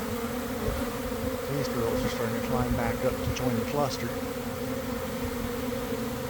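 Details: Swarming honey bees landing and climbing back to join the cluster, some beginning to fan, early afternoon in a garden; a steady layered drone, with brief higher chirps briefly rising above the hum midway.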